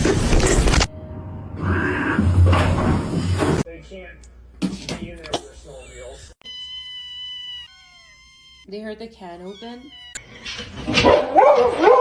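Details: Kitten meowing in a home setting: several short, arched meows, each rising then falling, separated by gaps. Loud bursts of speech and laughter come before and after, and a steady electronic tone sounds in between.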